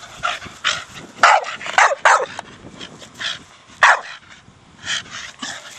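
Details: Four-year-old Staffie Brogan at play with a big hard plastic ball: loud, harsh barks and yips come in uneven bursts, some doubled close together, with a softer throaty sound between them.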